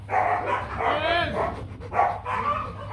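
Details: Nano, a young male Rottweiler stud at a Vietnamese kennel, gives a few tonal barks and a drawn-out whining note, mixed with people talking and background music.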